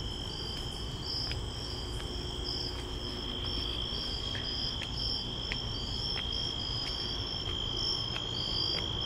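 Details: Nighttime crickets on a walk to a store, sustained piercing trill topped by rapid pulsed chirps, with steady footstep taps roughly every half second and broad low background noise.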